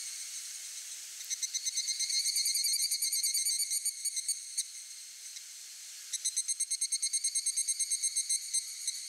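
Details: Male evening cicada calling to find a mate by a mountain stream path: high, ringing pulsed phrases of fast repeated beats, one long series fading out midway, then a new series starting up after a short lull.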